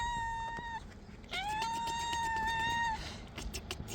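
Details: Hungry stray cats meowing insistently while being fed; a steady meow cut off, then a long rising-and-level cry of about one and a half seconds, with outdoor rustling and clatter.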